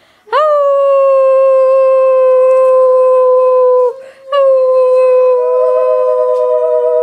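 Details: A ten-month-old female Basenji puppy squirming on her owner's lap for attention gives long, steady, sustained howls with a sharp rising onset. This is the breed's typical yodel-like singing.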